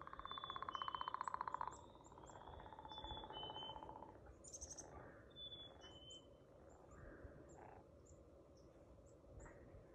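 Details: A frog's loud rattling trill of rapid pulses opens, then a fainter trill follows and fades, while birds chirp and whistle high above and a short rustle sounds midway.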